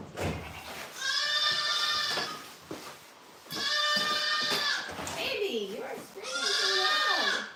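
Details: Goat on a farm during cold, snowy weather, bleating three times in long, strained, quavering cries roughly every two to three seconds, with a person's voice talking between calls in a small indoor space.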